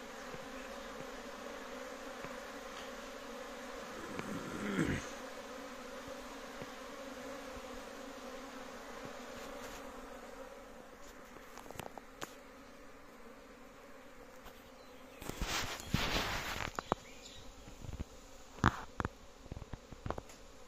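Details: Big honey bee colony at a home apiary in Kashmir, a constant droning hum interrupted by rustling and handling noises, with a loud burst of scraping and clatter near the end.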